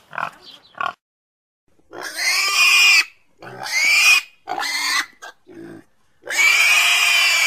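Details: A couple of faint grunts, then a pig lets out long, shrill squeals, each lasting about a second, with brief pauses between them.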